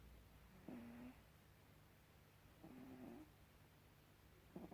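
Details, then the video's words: Gribouille the cat asleep indoors, giving low, throaty snores that repeat roughly every two seconds, each a short rasping breath with a steady buzzing tone; the room is otherwise quiet between breaths. "Gribouille the snoring cat"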